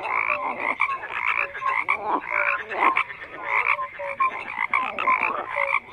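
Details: Crowded frog calling, a steady layered din of short croaks and trilled pulses with occasional clear tonal blips, swelling and dipping in quick succession across the whole stretch.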